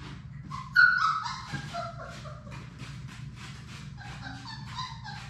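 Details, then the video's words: Playing Labrador Retriever puppies, six siblings born to Sadie, indoors in their play room; one sharp loud yelp opens a run of thin, sliding whines and scattered yips, then softer whimpers trail on over a low hum. "Labrador puppies at play!"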